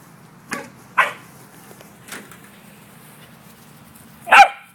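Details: A corgi herding an out-of-control yellow ball gives a few sharp, spaced barks, the last one loudest, over the low steady hum of an air conditioner.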